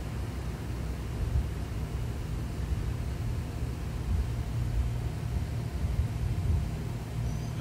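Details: Low continuous rumble like distant traffic or wind, with no animal calls heard.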